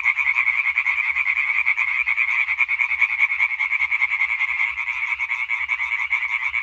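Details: Chorus of European tree frogs singing on 20 May 2023, many males croaking together in a steady rattling stream of fast pulses, roughly two or three per second, loud and unbroken throughout.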